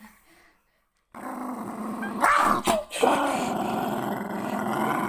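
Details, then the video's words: Protective Jack Russell Terrier defending its owner: after a second of quiet, a continuous harsh, noisy growl begins and carries on, with a few sharp louder bursts near the middle. "Protection of the owner Jack Russell Terrier"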